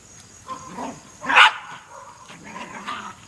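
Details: Three Jack Russell Terriers together: faint whines at first, then one sharp, loud bark near the middle, followed by softer whimpering yips.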